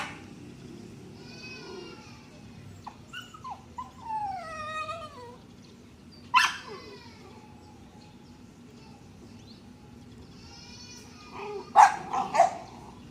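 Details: Dog whimpering in a series of thin, wavering whines that slide downward, then a couple of sharp yelps near the end, over quiet background hiss.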